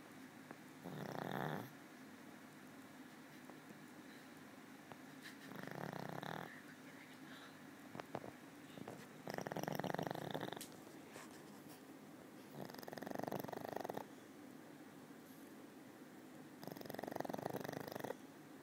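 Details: Elderly female pug, always sleeping except at mealtimes, snores steadily: five loud rasping, fluttering breaths at roughly four-second intervals, each lasting over a second, with hushed inhalations between.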